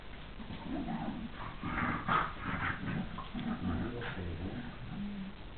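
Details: Two pet dogs playing together, the older male gently behaving like a big brother to the younger female: low rumbling play growls, snorts and throaty grunts run continuously.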